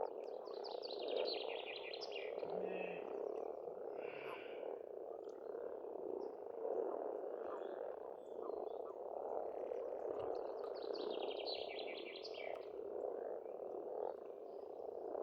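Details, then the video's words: Frog chorus at a pond in spring in Estonia, a dense continuous croaking filling the low-middle range throughout, with bursts of bright, buzzy, rapidly repeated bird song rising above it near the start and again near the end. "Расслабляющее пение птиц и лягушек, весна, природа."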